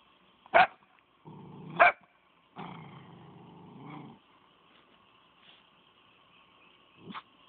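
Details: Brownie, a female dog kept alone in a pen and very protective of her food, gives two sharp barks about a second apart over a low rumbling growl, then a longer growl, and a final short bark.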